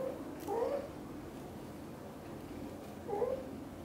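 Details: British Shorthair cats: kitten Cream leaves the nest for the first time while mother cat Xaxa anxiously follows her every step. Two short, soft, mid-pitched meows, one near the start and one near the end, over quiet room background.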